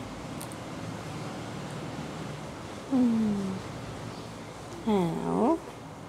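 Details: Laura, a pet cat, making noise indoors: two meows, the first a falling, drawn-out note, the second a shorter wavering one about two seconds later, with a person talking nearby.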